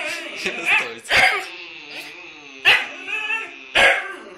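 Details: Two Huskies: a continuous drawn-out, whining howl with sharp bark-like yelps breaking in about every second, the yelps strong and harmonic-rich.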